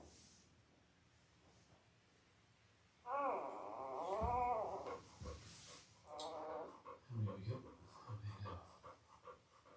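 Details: Newborn Labrador Retriever puppies, five days old, from Belle's Christmas-themed litter of eight: quiet at first, then a wavering high squeal, followed by lower grunting whimpers and snuffles.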